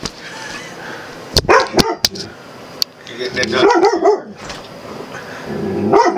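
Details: A person's voice and sharp taps come first. Then Puddy, an Australian Cattle Dog mix who sees himself in a mirror and a camera lens, gives a run of strained, wobbling yelps and short barks, and a final yip near the end.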